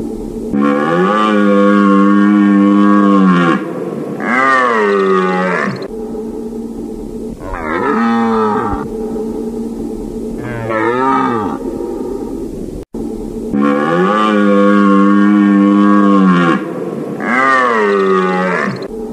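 A deer gives long, moaning bellows, rich and nasal, each held for several seconds before sliding away.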